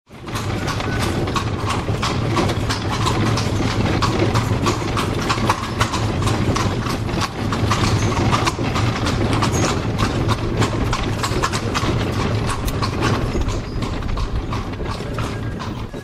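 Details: Horse pulling a carriage along cobbled streets in Spain with no traffic: dense, fast clattering hoof strikes blend into a constant loud rumble of wheels on stone, with rattling throughout.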